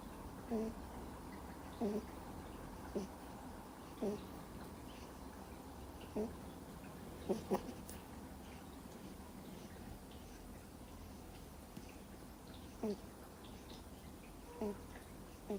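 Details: Sleeping Miniature Schnauzer puppy, two months old, snoring soundly indoors with soft nasal squeaks that recur about once a second, fading a little midway, against a low background hum.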